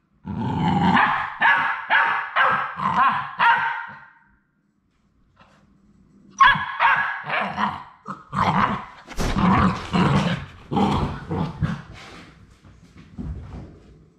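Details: Labrador Retriever puppies on their final day at High Desert Labradors; a rapid run of yapping barks, a silent gap, then harsher, jumbled barks and growls, as if several pups overlap.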